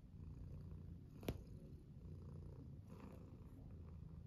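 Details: Tuxedo house cat purring while getting its belly rubbed; continuous deep rumble with one sharp tap midway.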